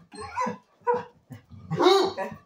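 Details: Basset Hound dog screeching: two short, harmonic yelping bursts followed by a longer, louder rising-and-falling howl-like wail, with a man talking to the dog around it.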